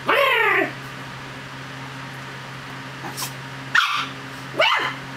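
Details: Chug playing and mock-fighting its owner's hand, producing a drawn-out wavering growl followed by two short sharp yaps, with a steady background hum.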